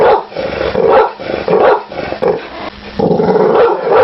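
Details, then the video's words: A dog barks in a quick series of harsh, mid-pitched barks, roughly two per second, with short pauses between bursts and a brief growly edge, with no other clear sounds. "SOM DO CACHORRO, CACHORRO LATINDO"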